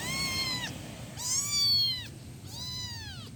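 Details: A one-week-old kitten gives high, thin meows that arch up and then fall, calling for its mother.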